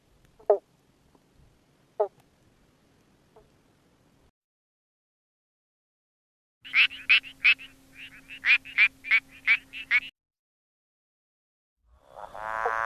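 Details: A frog at a wine estate gives a quick run of bright, croaking notes, each repeated about every third of a second.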